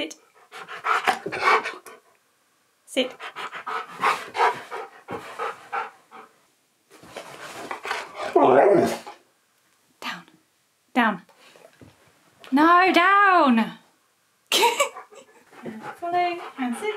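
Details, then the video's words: Keyush the husky argues during a behind-the-scenes filming session indoors, mixing panting huffs and mutters with a drawn-out, wavering, rising-then-falling howl-like complaint, while a person keeps giving sit commands. "Husky SNAPS GLASSES While Arguing About Filming A Video!"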